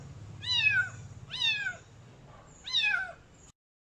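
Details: Khao Manee kitten with blue and green eyes meowing loud: three shrill, harmonic-rich meows rising then falling, spaced about a second apart, with a steady low hum underneath.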